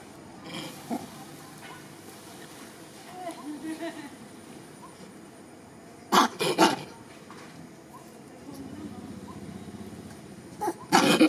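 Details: A pregnant female monkey gives a few sharp, harsh shrieks, calling loudly for help as a big male monkey stares at her, over a quiet background murmur.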